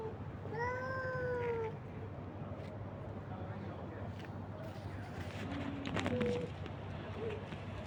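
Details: Street cats and kittens being fed by a man; one long falling meow early on, then a shorter faint mew later, with rustling and a low steady rumble in the background.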